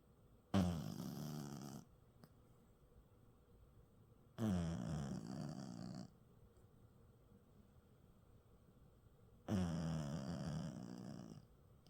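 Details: Maltipoo snoring in its sleep. Three long, grating, low-pitched snores, each over a second long, come at irregular intervals of about four to five seconds in a quiet indoor room.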